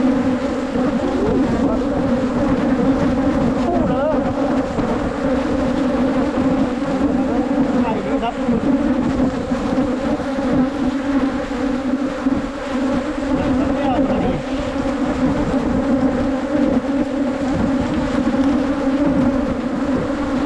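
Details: Asian honey bees (ผึ้งโพรง) from a wild colony found on a 2022 honey-hunting trip in Phunphin district: a dense, steady, low droning hum of many bees, unbroken for about twenty seconds, with faint human voices underneath.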